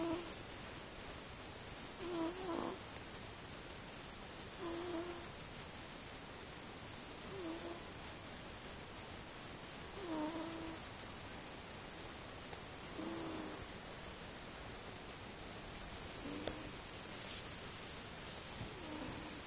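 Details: Teto, a domestic cat sleeping contentedly, snores steadily like an old man; short rasping breaths recur about every two and a half seconds, eight in a row, in an otherwise quiet indoor setting.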